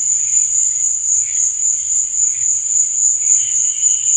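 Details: Steady shrill cricket trill at night, high and unbroken, its loudness gently swelling and fading in quick pulses, with faint higher chirps layered beneath.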